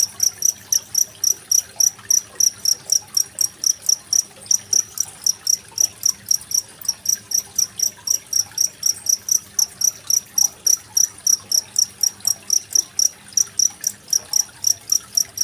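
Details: Steady cricket chirps against gently running water, a recording made 25 February 2023 and used to teach songbirds like magpie-robins; sharp high pulses come roughly four per second without pause, water gurgling faintly behind.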